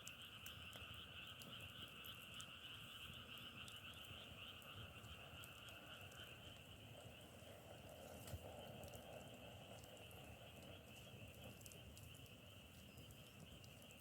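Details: Massed frog chorus, compared to the crackle of burning firewood: a steady, buzzing drone in two layered pitches that never pauses, a low rumble beneath, and one faint knock near the eight-second mark.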